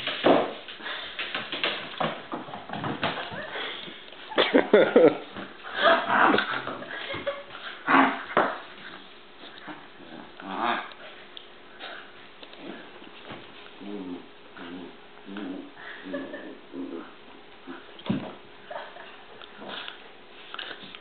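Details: Bowser and Canela, two dogs, fighting indoors: scuffling bursts of growls and sharp yips come thick in the first half, then thin out into scattered softer grumbles and snorts.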